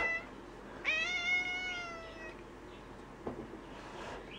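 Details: Gray tabby house cat, a very vocal female, meowing indoors while kept in a bathroom for a few days when unwell and on medication; one long, drawn-out, slightly falling meow, then faint rustling and a short knock.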